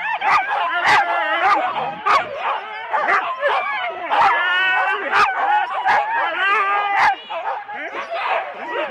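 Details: Husky sled teams of four dogs at the start, Rendlesham, January 2016, taped on analogue cassette: a dense chorus of high yelping howls and wavering whines, with sharp barks cutting through about every half second.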